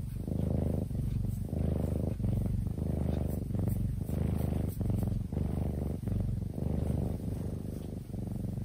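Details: Kitten purring while fast asleep: low, steady rumble in rhythmic breathing cycles, each swell lasting under a second with brief gaps between, about 48 cycles a minute; quiet room otherwise.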